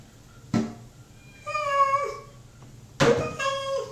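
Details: A domestic cat named Mocha waits indoors in the bathroom for his dinner. He gives two strong meows about one and a half seconds apart, each falling in pitch at the close, with a short thump before each.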